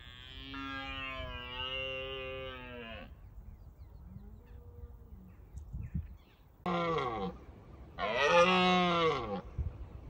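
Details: Wild red deer stags in Bushy Park during the rutting season roar to deter rivals: a long, harmonic, groaning roar, a short quieter call, then two hoarse rising-falling roars close together.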